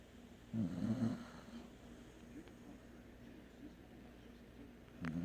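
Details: Sleeping dog snoring: one loud, rasping, low snore near the start, then soft steady breathing, with another snore just beginning at the end.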